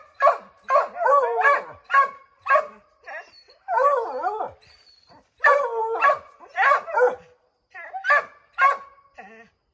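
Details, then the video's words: Redbone Coonhounds baying at a chipmunk up an oak tree, a pack of five dogs trying to send it scrambling down; dense overlapping barks and drawn-out bawls in bursts separated by short gaps. "Redbone Coonhounds Tree a Chipmunk"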